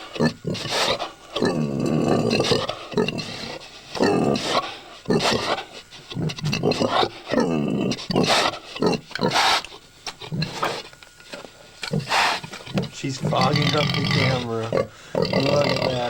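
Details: Sow about to give birth at Quatto Hill Farm, Collinsville, in 1997; dense, loud, harsh grunting and squealing comes in rapid bursts almost without pause, with rasping, broadband noises throughout.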